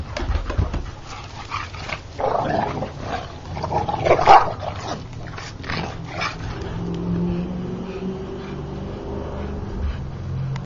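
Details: Play fighting American Bulldog: a sharp gruff bark-like burst around four seconds amid rumbling growls and scuffling, fading to a quieter stretch with low droning hum.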